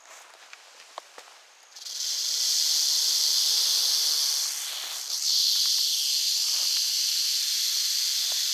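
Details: Eastern diamondback rattlesnake in North Florida: after nearly two seconds of quiet with a few faint clicks, a loud, steady, high hissing buzz of rattling starts abruptly and runs on, dipping briefly near the fifth second.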